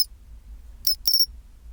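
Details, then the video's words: Pine cricket chirping at 24°C, its chinchirorin call: a short high metallic tick followed by a slightly longer ringing trill near 0.9–1.3 seconds, on a quiet background with a faint low hum. "チンチロリン Sound of pine cricket"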